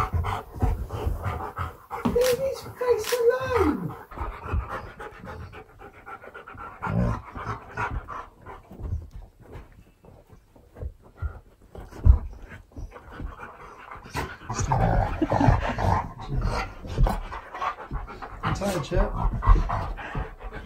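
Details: Siberian Husky K'eyush, excited at a birthday surprise from his best friend, lets out a wavering high whine early on, then steady panting with human speech and movement throughout.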